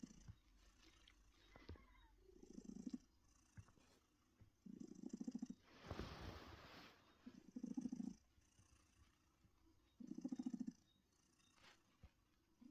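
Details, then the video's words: Heartie, a female house cat born around 2016 and found living in a bush, purrs in her comfy chair: low rumbling bursts recurring every two to three seconds, interrupted midway by a brief broadband rustle or thump. "Heartie's Purring Therapy"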